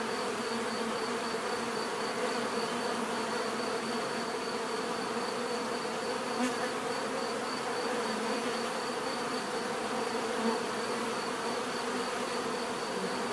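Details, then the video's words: Bees buzzing steadily as a dense, even drone of many insects, with a faint high whine on top and one brief sharp click partway through. "bees therapy relaxing natural buzzing sound"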